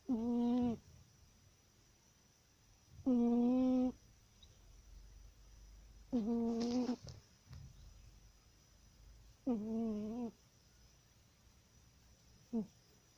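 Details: A pet cat sleeping soundly and snoring indoors: tonal, humming snores with stacked harmonics, each lasting under a second, repeating roughly every three seconds, four full snores and a short fifth, quiet between.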